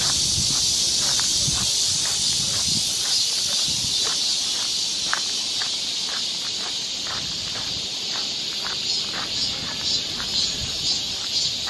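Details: Forest trail in Seoul during Korean summer, cicadas droning in a constant high buzz; regular footfalls of someone walking tick through the whole stretch, and a thin pulsing whine rises faintly over the chorus.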